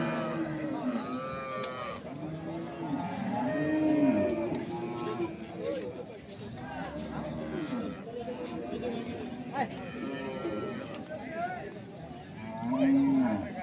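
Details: Dairy cows with calves, Sahiwal, Sindhi and local breeds, at Ambari cattle market, Parbatipur, Dinajpur, Bangladesh, 3 February 2025; drawn-out low moos rise and fall amid haggling voices and background music.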